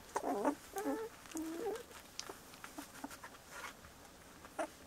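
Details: Bordoodle puppies, 17 days old, giving three quick wavering squeals in the first two seconds, then quieter scattered squeaks and light scratching sounds.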